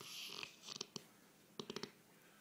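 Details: Sherman, a pet bullmastiff, snoring, filmed with an iPhone: soft breathy hiss at the start, then two bursts of short clicking, pulsed snorts about a second apart.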